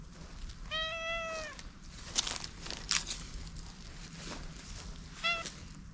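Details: Stray cat with an unusual coat pattern, meowing at a person as if pleading for something before being petted; one drawn-out, slightly falling meow near the start and a shorter meow at the end, amid rustling and clicking handling noise.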